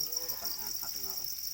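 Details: Domesticated Para crickets, also called black crickets, kept in numbers: a dense, steady, high-pitched trilling chorus runs without a break, with faint low voices murmuring underneath.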